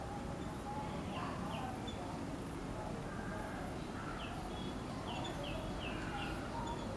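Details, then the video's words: Palm squirrel (Funambulus palmarum), known locally as Lena, a common island squirrel: a run of short, sharp, high chips, dropping slightly in pitch, given in loose clusters over a steady hiss of background noise. "Palm Squirrel"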